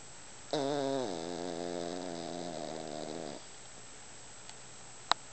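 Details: Deeply asleep Yorkshire Terrier snoring with eyes open; one drawn-out, steady buzzy snore lasting nearly three seconds, then quiet breathing and two faint clicks near the end.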